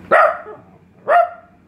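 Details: A trained male Italian Greyhound gives two sharp, mid-pitched barks about a second apart, answering a command to speak.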